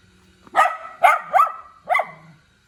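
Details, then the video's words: {'caption': 'Cute little dog barks four times in quick succession, the yips fairly bright and punchy, with a faint low hum underneath.'} "หมาน้อยน่ารัก เสียงหมาเห่า"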